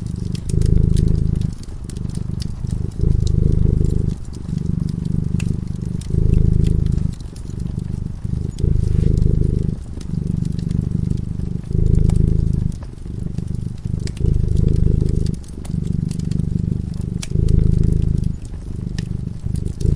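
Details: Purring of a cat sleeping in front of a fireplace: a steady low vibrating rumble in regular bursts of about one to two seconds, around ten cycles, accompanied by constant crackling of burning logs.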